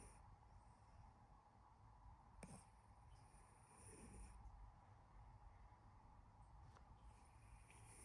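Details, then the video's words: A sleeping pet cat snoring softly indoors, with slow, low rumbling breaths that swell and fade in a steady rhythm, a few faint clicks, and quiet background hiss. "my cat snoring for 10 WHOLE minutes"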